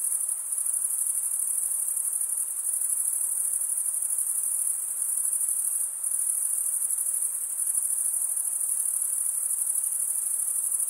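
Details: Stridulating crickets, the wings scraped together by males, give a continuous shrill ringing trill, very high and level, with brief faint dips in intensity; nothing else is heard but a light airy hiss.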